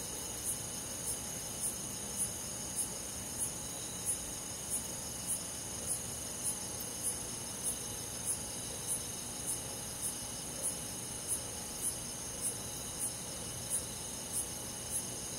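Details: Cricket calling through a calm summer night in rural woodland, a long run of regular high chirps near two per second against a dense, unbroken chorus of other insects.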